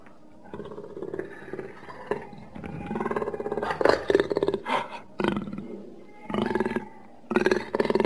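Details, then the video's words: Jaguar giving deep, rasping growls that swell into louder harmonic roars near the middle, followed by a pause and then two more throaty bursts toward the end. "Jaguar sound effects"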